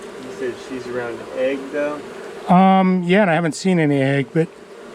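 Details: Honey bees from a long-established colony in a house wall turn angry after dark during a cutout. A soft, steady hum gives way to loud, close, wavering buzzes that rise and fall, then drop back to the hum.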